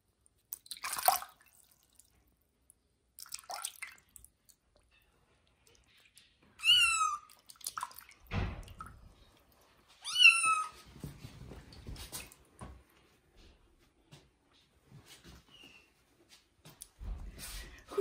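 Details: Two strained meows a few seconds apart from kitten Johnny during its first bath, set among dripping, splashing and sloshing water in a small bathroom with scattered knocks.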